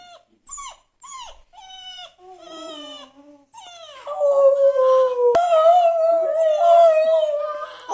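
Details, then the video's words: Dog reacting to whining and howling dog sounds played on a phone; a run of short rising-falling whines about three per second, then a long sustained wavering howl for several seconds with rich overtones. "Dog Reacts to Howling and Whining Sounds on Phone"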